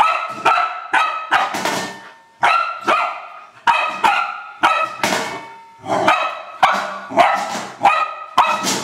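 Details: Old English Sheepdog at play with a trash can, letting out a long excited series of harsh barks, often in pairs or triplets, with brief pauses between bursts.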